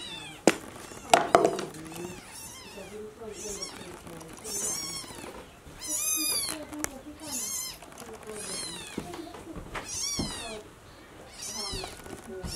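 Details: Mother cat carries her newborn kitten to the nest; the kitten cries in a rapid series of shrill, arched mews, some overlapping, amid handling clatter and soft rustling.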